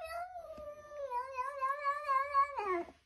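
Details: Cat in Chile calling to a lamb, a long drawn-out meow lasting nearly three seconds, held fairly level then wavering slightly and ending in a falling, strained note; faint low thumps underneath.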